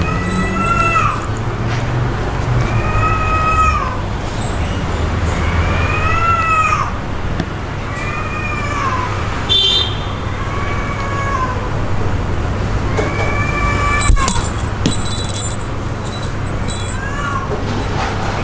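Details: Cat playing with a toy, giving repeated drawn-out meows, rising then falling, about every two to three seconds over a steady low rumbling hum like a running vehicle or engine.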